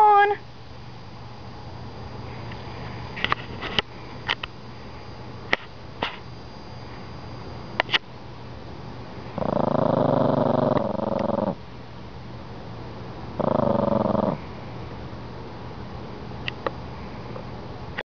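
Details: Toy Poodle named Nelson growling while guarding his bone as someone tries to take it: two rough, harmonic growl bursts, one about two seconds long and a shorter one later, after a voice teasing about the bone, with scattered clicks.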